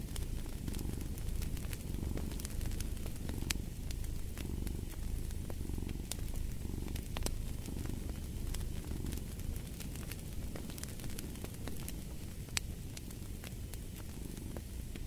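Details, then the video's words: Cat purring softly and continuously, a low vibrating rumble cycling with its breathing, set against a cozy fireplace with irregular crackles and sharp pops. "Purring of a Cat"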